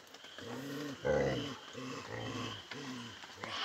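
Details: Angry Samoyed dog grumbling: a series of about six low, voiced, moaning growls, each under half a second, closely repeated, with a steady faint background hiss.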